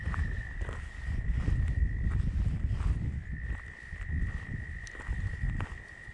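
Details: Very loud tree frogs sing at Steusser Lake, Michigan, in a steady, high, buzzing trill under heavy wind and handling rumble.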